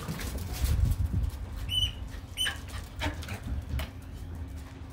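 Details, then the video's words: Dogs at play, a Doberman, a bull terrier and a schnauzer, growling and rumbling low in bursts, with two short high squeaky whines near the middle and scuffling noise throughout. "Dogs playing"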